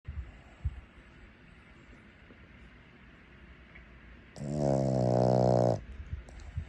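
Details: Boston Terrier. A Boston Terrier snores once, a low, rough, buzzing rattle lasting about a second and a half. Before it there is only soft room noise and faint breathing.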